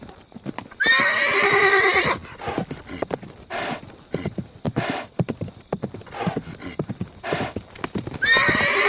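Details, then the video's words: Horse whinny: a bright, high, shaky neigh that slides downward for about a second, then hooves clip-clopping with several breathy snorts, and the start of another high whinny at the end. "SOUND OF HORSE NEICHING"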